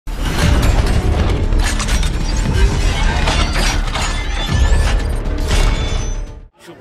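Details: Loud, dense mix of music, clattering and banging with a little speech at a busy livestock market in Ashulia, Dhaka; no animal voice stands out.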